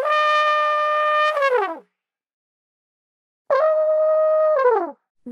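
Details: Two long, steady brass-like horn notes, each ending in a downward slide and separated by silence; no animal voice.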